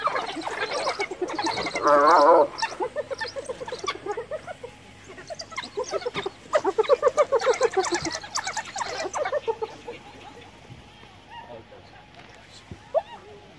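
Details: Hyena mother, cornered by wild dogs near her recently dead cub in Kruger, calls her clan for help: rapid, stuttering, giggle-like pulsed cries in two loud bursts, then quieter scattered yelps and chirps from the dogs.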